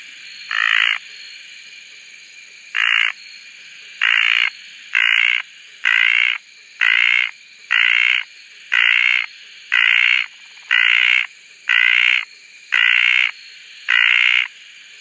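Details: {'caption': 'Red tree frog, also called desert tree frog, from Koah, giving a steady series of short buzzy croaks, about one every second, thirteen in fifteen seconds, each a harsh rasping burst over a quiet background.'}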